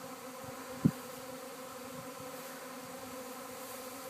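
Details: Honey bee swarm buzzing at a house in Arcata as the bees travel and settle by a fig tree; an even, thick droning hum throughout, broken by one short knock early on.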